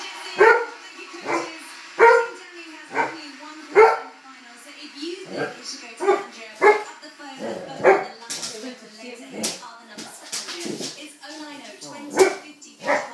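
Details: Red setter barking at a balloon: a steady series of short, punchy barks about once a second, growing denser and more ragged in the second half with clattering noises and faint talking.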